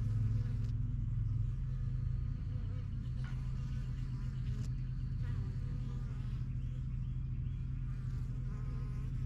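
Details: Honey bees flying in and out of a new backyard hive; loud close buzzing drone, a nearby bee's tone steady at first then fading into the general low hum of the busy colony.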